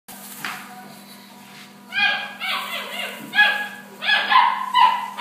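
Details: German Shepherd dogs at a dog training centre give a quiet yip near the start, then a run of loud, sharp barks from about two seconds on, each with a rough, bright ring, over a steady electrical hum.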